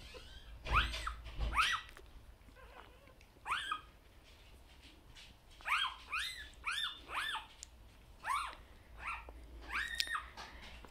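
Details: Newborn Vizsla puppies, six females and one male under 24 hours old, nursing on their mother Tilly; high, thin squeaks and short rising-falling whines come in scattered bursts, several pups calling over soft rustling.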